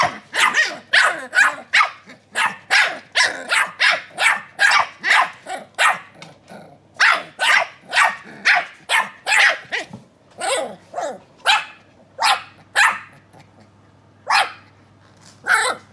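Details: Two young Keeshond puppies trade sharp, high barks back and forth in quick bursts of several at a time. There is a short lull before the barking resumes more sparsely toward the end.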